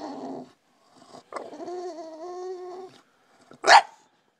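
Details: Waking his owner, Brutus the Bulldog gives a short grumble, then a steady harmonic moaning whine of about one and a half seconds, then, after a pause, one sharp loud bark.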